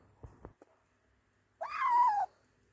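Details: Stray kitten found alone, wet and cold from the rain, with no mother cat nearby: a few soft taps, then one clear drawn-out meow of about half a second, slightly falling in pitch, in a quiet indoor setting.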